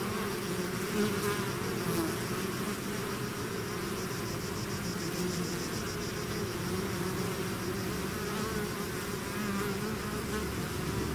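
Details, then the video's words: A swarm of bees out of its hive fills the air with an even, unbroken drone, a low layered buzz holding steady throughout with a faint high whine above. "bees therapy swarm natural buzzing sound"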